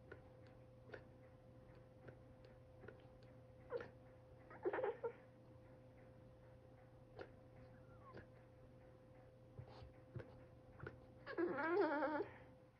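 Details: A Boston Terrier, crying because its owner is drinking coffee, gives short, wavering whines ending in a longer rising-and-falling wail over a steady indoor hum.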